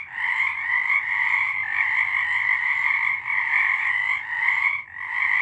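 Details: Frogs singing at night in March 2023: a thick, steady chorus of buzzy, pulsed croaks that hardly pauses, easing slightly once before the end.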